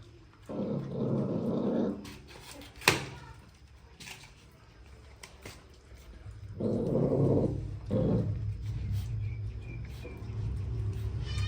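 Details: Puppies making angry noises while eating food indoors: two rough, low growling bursts, each lasting one to two seconds, separated by quieter snuffling and a sharp knock.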